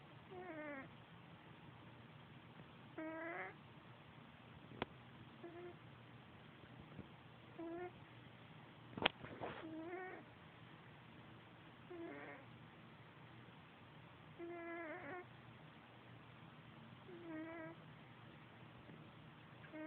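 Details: Pet cat Sergeant Pepper snoring while asleep on a bed, with his buddy Rigby nearby. Short wavering, whistle-like snore bursts recur roughly every two to three seconds, with a few sharp clicks and a low hum in between.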